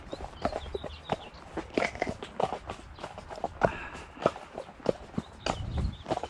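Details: Shire horse Damon of Ostsee Shires, out on 2 May to collect a new boarder from Falkendorf after heavy early rain turned to sunshine: sharp, uneven hoof clops about every half second, with brief quiet talk between.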